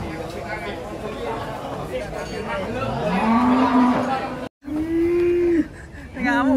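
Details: Several moos from agitated cows being unloaded from a truck. Long, low, drawn-out calls come one after another, with each one swelling and then holding. Voices call out faintly underneath.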